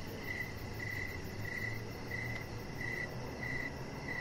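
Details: Cricket chirps on an evening deck where a chihuahua puppy lies under decoration lights. The chirps are clear and evenly spaced at about ninety-seven a minute, with a brief pause midway and a low background rumble.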